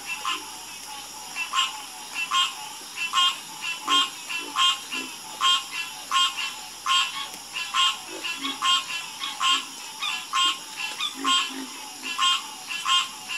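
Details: Frogs in a chorus, croaking steadily: loud, pulsed, rough croaks with rich overtones repeat roughly once a second in uneven bursts, fainter low croaks scattered beneath, all over a constant high-pitched background hiss.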